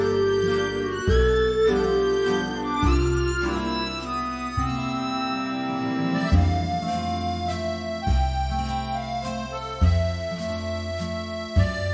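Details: Upbeat harmonica and accordion music plays steadily throughout, with no animal sound audible.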